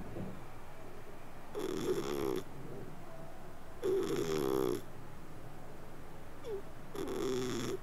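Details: Sleeping cat snoring and purring: three buzzy, nasal breaths of about a second each, spaced roughly two seconds apart, with a soft wavering tone and quiet pauses between them.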